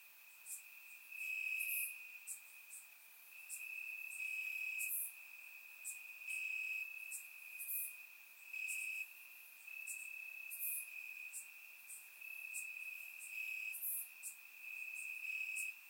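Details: Warm summer night in Bulgaria with crickets chirping in the grass; an unbroken shrill trill rises and falls in loudness roughly every one to two seconds, with frequent faint high clicking chirps layered above.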